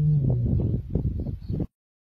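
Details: The Kambula male lions, recorded on 14 December 2023, give deep, rumbling roars in a series of low pulsed bursts that end abruptly.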